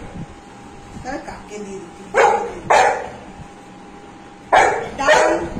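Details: Anna, a pet Golden Retriever, at home with her family around a lunch of dal, rice and fish: four short, broad barks in two pairs, loud and abrupt, with quiet room sounds between them.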